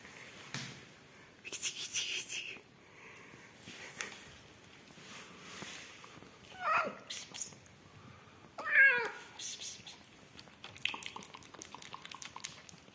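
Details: Rescued yellow mother cat Amarilla with her newborn kittens, indoors: two short, rising, strained meows a couple of seconds apart, over soft rustling and clicking handling noise.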